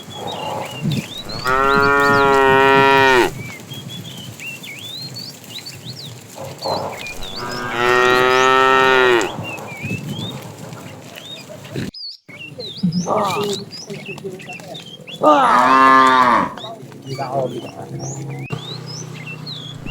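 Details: Fat cow calling the female while a tame herd is driven in the afternoon: three long harmonic moos spaced several seconds apart plus a fainter shorter one, amid busy chirping birds.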